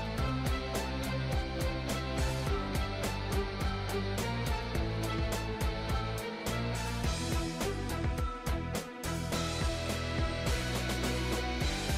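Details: Steady guitar and drum music plays throughout, with no animal sound present.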